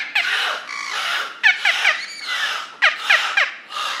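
Beluga whale calls: squeaky whistles, sweeping chirps and nasal squeals in quick bursts.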